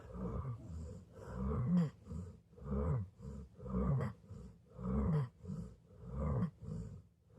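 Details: A sleeping golden retriever snoring: deep, rasping, rumbling breaths that swell and fade in steady cycles of roughly one per second, with no other sounds around.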